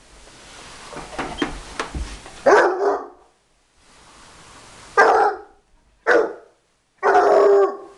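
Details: A Bloodhound gives deep, loud barks at a vacuum cleaner that is switched off, in short bursts, some single and one drawn out.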